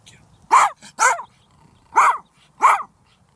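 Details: Ferocious Silky Terrier barking: four sharp, loud barks in two pairs, about half a second apart within each pair, in a quiet room.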